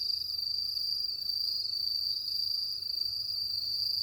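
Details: Night chorus of crickets in the countryside: a continuous bright, ringing trill at one high pitch, holding steady throughout, with only quiet background hiss.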